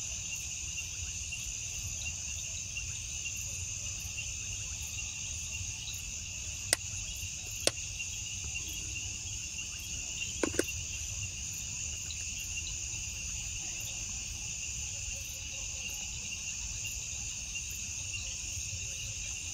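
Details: Crickets at night, sharing the dark with glowing bioluminescent bugs: a dense, steady high-pitched trilling chorus in bands, continuous throughout, with a few faint clicks and a low background rumble.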